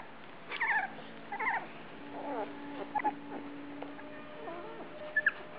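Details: Several short, squeaky whimpers from Australian Shepherds at feeding time on September 12, 2010, separated by quiet gaps, with a constant low droning tone in the background.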